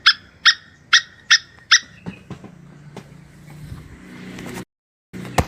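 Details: Plantain squirrel mating call: five sharp, ringing chucks spaced about half a second apart, followed by faint clicks and low background rumble, then one more loud note at the end.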